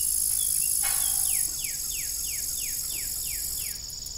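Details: Crickets in the evening on an old farm with a rusty windmill: a steady high shimmering trill runs throughout, joined by a quick series of about eight descending chirps in the middle.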